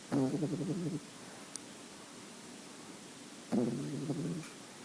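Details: Female French Bulldog puppy, nine weeks old with a white creamy coat, gives two rough, vibrating snores roughly three seconds apart over a quiet indoor background.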